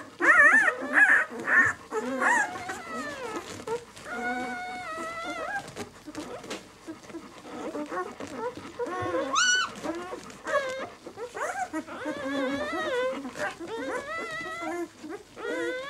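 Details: Litter of six-day-old White German Shepherd puppies (B litter, "of White Night") indoors. Continuous overlapping whimpers, grunts and thin wavering whines from several pups, loudest in the first seconds, with one sharp high squeal around the middle.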